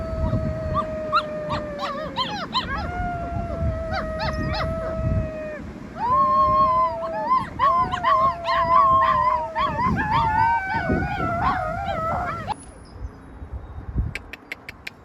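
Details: A pack of rescued wild wolf pups in full chorus: long level howls overlapped by rising and warbling voices, growing busier midway, then dropping off abruptly with a few clicks at the end.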